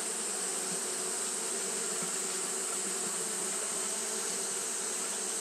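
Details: Japanese honey bees fanning steadily on a hot day, a continuous low droning hum with banded tones and a broad hiss above, unbroken throughout.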